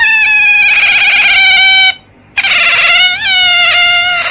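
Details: Otter making a strong, clear harmonic squeal that holds level, stops for a moment, then returns with a slight upward wobble in pitch.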